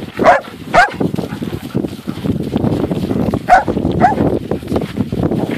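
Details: German Shepherds on a snowy snowshoe outing, alongside a Lab-Shepherd cross, give four short barks in two pairs a few seconds apart over steady wind noise as a woman calls them onward.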